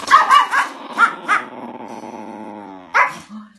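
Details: Angry Chihuahua, a pet dog, giving a burst of sharp high barks, five quick yaps in the first second and a half, then a long throaty growl and one more bark near the end.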